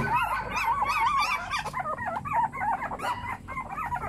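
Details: Puppies whining in a busy group, with wavering high whimpers early on giving way to shorter, choppier yelps that overlap one another over a low background rumble.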